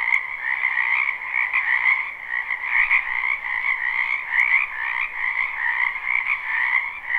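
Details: Many frogs calling together in a wetland behind a house in spring, a live recording: a dense, continuous chorus of trilling croaks with two steady bands, pulsing slightly, and brief faint clicks above.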